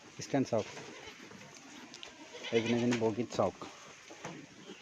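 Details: Assam Hill goat on a goat farm in Assam, India, giving a short, harmonic bleat lasting about half a second amid a man's speech and other farm noise.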